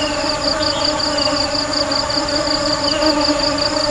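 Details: Honey bee buzzing as a continuous low drone layered with bright overtones, plus a quick, regular flutter in the upper register.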